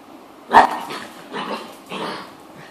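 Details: A female dog playing by herself gives one sharp bark followed by two softer, breathy yips spaced about half a second apart, in a quiet indoor setting.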